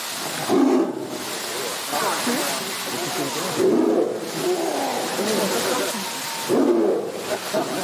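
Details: A male Sumatran tiger at a zoo, possibly acting territorial toward a large green boomer-ball enrichment toy, gives short, rasping roars in bursts spaced about three seconds apart.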